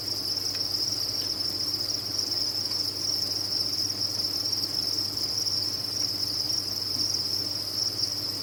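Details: Crickets raised on a farm, massed chirping merged into a constant high-pitched ringing drone without pauses, a soft hum and a couple of faint clicks underneath.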